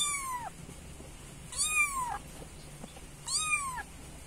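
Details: Three clear, high kitten meows calling the mother cat, each a bright arched cry rising then sliding down, repeated about every one and a half seconds over faint hum.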